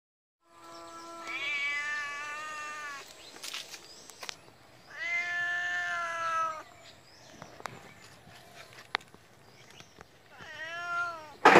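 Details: Domestic cat giving three drawn-out, harmonic-rich meows: a long steady one near the start, a louder sustained one in the middle, and a short wavering one at the end, with quiet clicks and rustles between.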